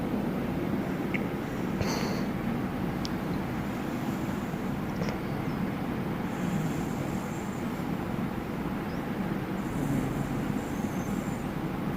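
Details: Steady broadband rumble like a running vehicle or engine, with a few faint high tones and clicks; no animal voice stands out.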